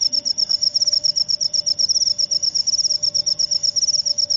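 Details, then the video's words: Cricket known as jangkrik upo chirping close by: shrill, high-pitched pulse trains in quick, uneven bursts with short gaps, over a quiet low hum. "Jangkrik upo"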